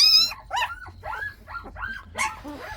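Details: Lively Jindo puppies yipping while their mother is out: a sharp high yelp, then a quick series of short, bright barks and yips roughly every quarter second, ending in a louder squeal.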